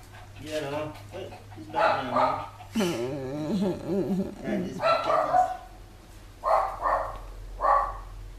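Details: Beloved house dog Chai Si, who once protected this relative from the family's other dogs, 'talks' on his return to Thailand in 2012. There are warbling, up-and-down moans and whines mixed with people's voices and laughter.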